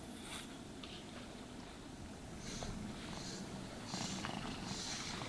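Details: Cat purring as it is brushed and groomed, a continuous low vibrating rumble beneath repeated swishing brush strokes that grow slightly louder toward the end, in a quiet room without speech.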